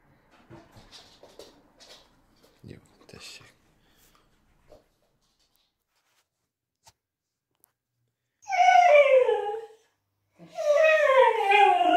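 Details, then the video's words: Male blue whippet whining to ask for food and walks, indoors. Soft human talk and small noises come first, then two loud, wavering, falling whines near the end, each over a second long. "The Whining Whippet"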